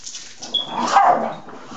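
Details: Excited pet husky dog indoors at a late hour before bed: a short, tonal whining howl that swells and then falls over about a second, with a person softly saying good night just before and after.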